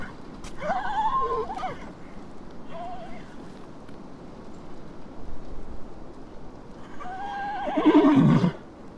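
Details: A horse gives a short wavering neigh, then a brief second call, and ends with a louder, drawn-out whinny that drops sharply in pitch. A constant low background rumble runs throughout.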